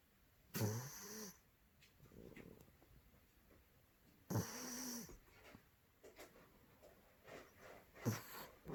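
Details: A male Maine Coon cat, two months older than the Norwegian Forest Cat he lives with, snores loudly with rasping, wheezy breaths every few seconds.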